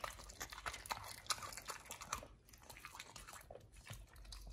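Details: Pit Bull named nomyen eating a raw meal of three fish, duck feet and quail eggs: dense, irregular wet crunches and bites, about two or three per second, with a quieter lull midway, indoors.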